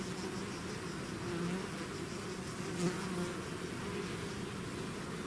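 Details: Bee swarm leaving its hive, natural buzzing: a dense, steady low hum with wavering drone bands, many wingbeats blending into one continuous buzz, a slight swell near the middle.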